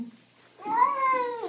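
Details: A single cat meow, indoors, starting after a short quiet pause. It is a clear, bright tonal call that rises slightly and then holds level for about a second before stopping abruptly.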